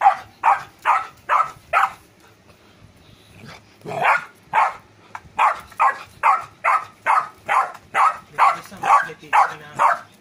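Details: Golden retriever puppy barking in a rapid, steady series, short sharp yaps roughly two per second with a brief pause near the start, faint background noise.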